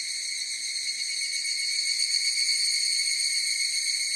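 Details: Higurashi cicadas in chorus, a bright continuous metallic whine with fine rapid pulsation, loudness creeping up toward the end; nothing else audible.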